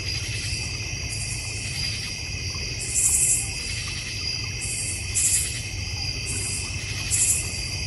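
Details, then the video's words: Backyard crickets in the North Georgia Mountains, near a koi and goldfish pond and fire pit, keep up a continuous shrill trilling chorus, with brighter hissing bursts swelling in about every two seconds. "North Georgia Mountain Cricket Sounds"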